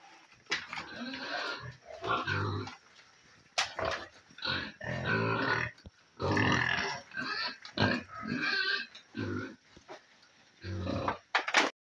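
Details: Pigs at feeding time in a pen on a piggery, eating their meal; loud, harsh grunting and squealing bursts of one to two seconds each, separated by short quiet gaps, with a sharp click near the end.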